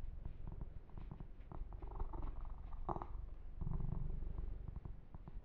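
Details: Low, pulsing purr from the kitten Yumak during massage and fur grooming, steady throughout, with intermittent handling clicks and a louder brushing rustle around the middle and a stronger purr swell toward the end.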